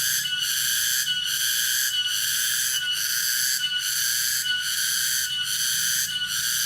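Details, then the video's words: Cicada (tonggeret) in Dago, Subang, West Java, Indonesia: a loud, continuous shrill buzz pulsing steadily about every 0.8 seconds, strong high band with no pauses, low rumble faintly beneath. "SUARA ALAM SERANGGA TONGERET"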